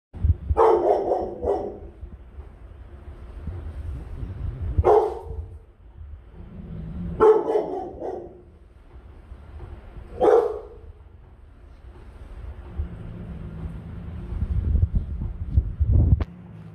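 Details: A Rottweiler on guard duty gives deep, forceful barks in short bursts, spaced a few seconds apart.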